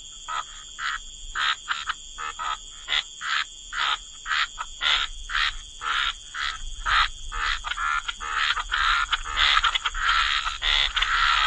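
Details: Wetland frog chorus with short harsh croaks repeated about twice a second, building toward a denser overlapping chorus near the end, over a steady high-pitched hum.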